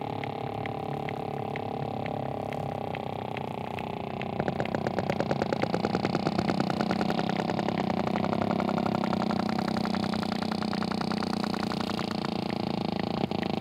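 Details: Sperm whale underwater: after a quiet start, trains of sharp broadband clicks begin near the midpoint, speeding into a dense rapid burst that then thins out, all over a steady low rumbling drone.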